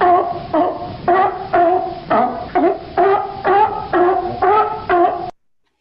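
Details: California sea lions, the only pinnipeds that bark, give a steady run of hoarse, honking barks, about two every second, as heard from sea lions hauled out on the raft in Morro Bay.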